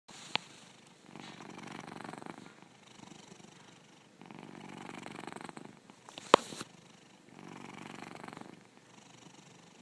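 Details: Elderly, very fat house cat, 11 to 12 years old, asleep: slow rhythmic purring snores in long soft rasping phrases about three seconds each with quiet gaps, one sharp click partway through.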